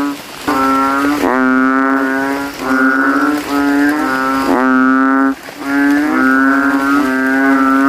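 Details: At night after rain, several male banded bullfrogs in a puddle in a cemetery inflate their throat sacs and give loud, deep, drawn-out, cow-like lowing calls, overlapping as rivals compete to be loudest.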